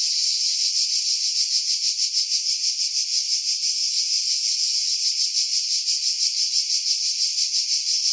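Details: July 2018 cicadas singing in pine trees 50 m above the sea on Skiros Island, Greece, wind removed by filtering: an unbroken shrill buzz throbbing about three times a second.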